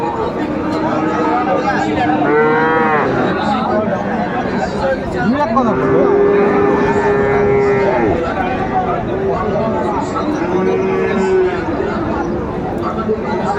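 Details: Friesian and cross-breed bull calves at the Raniganj cattle market in Dinajpur, 28 November 2024, amid buying and selling: three long, drawn-out, low moos with rich harmonics, the middle one longest, over a steady hum of crowd noise.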